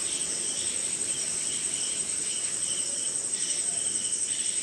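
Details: Night chorus of crickets in Indian jungle during rain, a steady piercing high whine beneath short bursts of lower chirps that come in quick irregular pulses, with faint rain patter underneath.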